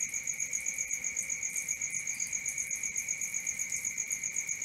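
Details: Crickets at night keep up a piercing, rhythmic trill of about four pulses per second above a lower unwavering hum, with a brief faint whistle-like tone midway.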